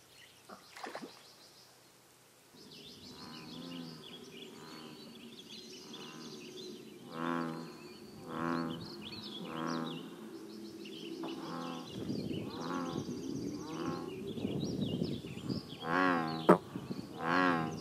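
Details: American bullfrogs at a scenic pond in Northern California give deep, buzzy, harmonic croaks in uneven pulses, overlapping and growing louder, while small birds chirp high above.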